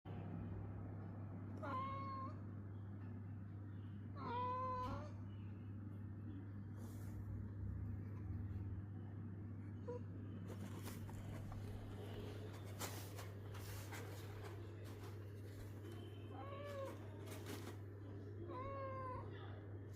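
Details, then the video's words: Pet cat giving four short, rising-then-falling, tonal meow-like calls spaced several seconds apart, over a steady low electrical hum, with a burst of clicking and rustling in the middle. "I like the sound of my cat humming."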